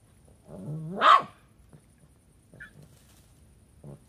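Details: A Lhasa Apso barking at a hedgehog: one sharp, rising bark about a second in, then only faint soft rustles and near silence.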